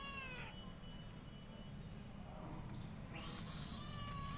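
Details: Cat producing two drawn-out meows, the first ending just after the start and the second rising strongly near the end and holding a high, bright tone, with heavy low rumbling noise throughout.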